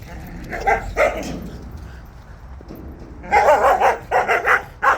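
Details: Barking from Jindo dogs during a walk: a pair of barks, a pause, then a dense flurry of quick overlapping barks near the end, with faint outdoor noise.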